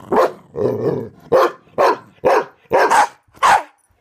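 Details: Karma the corgi and Thor the pitbull playing hide and seek under a bed: a quick run of about seven short, sharp play barks with a brief rumbling growl near the start, roughly two per second.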